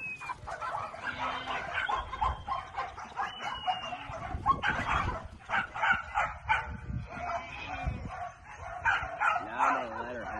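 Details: Working cattle dogs herding cattle on a ranch: a busy stretch of short, rough barks and yips coming in irregular bursts, with a thin whistled tone and a human voice mixed in.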